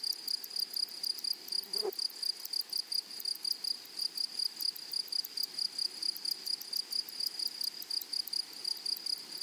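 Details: Grasshoppers in a flowery meadow or prairie: a shrill, steady, high-pitched chirping made of rapid, evenly spaced pulses that runs without a break, with one brief low thump near the two-second mark and a quiet outdoor background.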